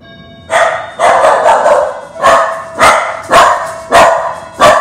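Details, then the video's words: Indy, a female pup, barking at the doorbell: a rapid series of about eight loud, harsh barks, some running together, roughly one every half second after a quiet start. "Indy the pup barking at doorbell"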